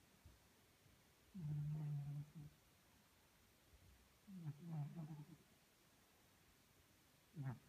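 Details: Snoring Maine Coon cat from Tolyatti, asleep: two long, deep, rattling snores, each about a second, separated by a few seconds of quiet, then a brief third snort at the end.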